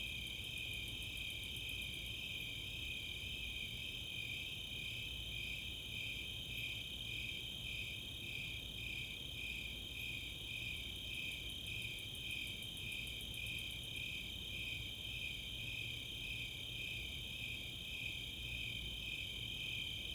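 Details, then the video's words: Snowy and Four-spotted Tree Crickets chorusing on a summer night at Chautauqua open space, Boulder, Colorado; dense, even high chirping throughout, with brief very high rapid ticks of Greater Angle-wing Katydids near the start and middle. "Nighttime crickets"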